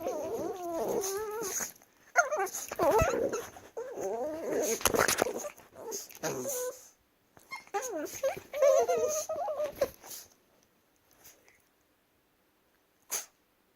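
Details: Several Chihuahuas play-wrestling make quavering whines and grumbling moans in rapid, uneven runs, broken by scuffling thumps, before the room falls mostly quiet near the end.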